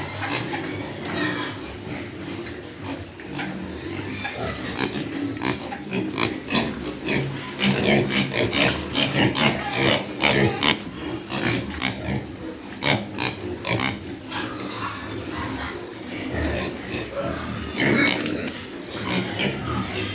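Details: Several pigs on a pig farm keep up dense, overlapping grunts and sharp squeals through the clip, with a constant noisy background.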